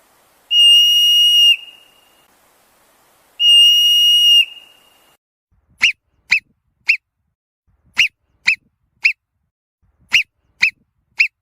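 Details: Marmot screams: two long, flat, shrill whistles about three seconds apart, then quick clipped chirping whistles in tight bursts of three, repeated several times against a quiet background.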